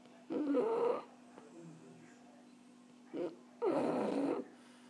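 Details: Sleeping, relaxed French Bulldog snoring: two raspy, nasal snores about three seconds apart, each lasting under a second, with a short snuffle just before the second and a faint steady hum underneath.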